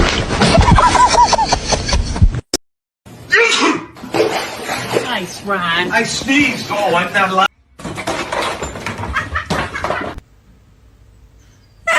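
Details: Loud human speech and laughter in short bursts broken by abrupt silences, with a slap and faint music, and no animal call.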